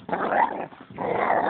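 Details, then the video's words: Pit Bull growling in a park, rough and rasping, in two bursts of about half a second each separated by a short pause. "PITBULL EN EL PARKE"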